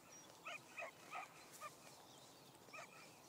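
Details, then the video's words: Cookie, a beagle puppy, baying outdoors while hunting down a deer she had just chased off; a short run of four or five distant, hoarse barks spaced about a third of a second apart over a steady outdoor background hiss. "Cookie the beagle hunting"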